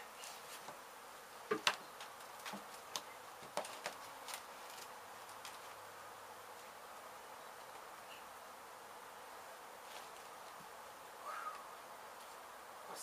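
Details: A honey bee colony, its hive struck by demolition crews at an abandoned home in Mission, Texas, hums steadily while being rescued for relocation; an even drone runs throughout, with occasional sharp clicks and bumps early on.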